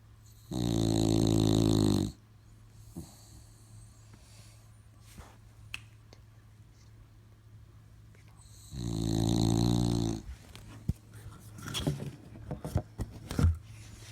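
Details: Bulldog asleep indoors, snoring in two long, loud, rasping breaths about 1.5 seconds each, roughly seven seconds apart, with quiet clicks and small rustles between them in a small room.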